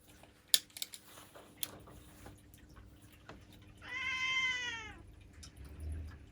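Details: One drawn-out meow from Ciel, a black female house cat aged seven, bending slightly downward over about a second. Sharp clicks and taps come first, over a soft constant hum.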